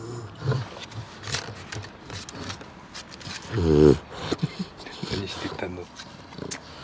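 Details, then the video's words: A napping bulldog gives one strong snore: a sudden, throaty, rattling rumble with layered tones near the middle of the stretch, surrounded by soft, noisy breathing and small clicks. "ブルドッグの昼寝🔹 凄いいびき Bulldog nap awesome snoring"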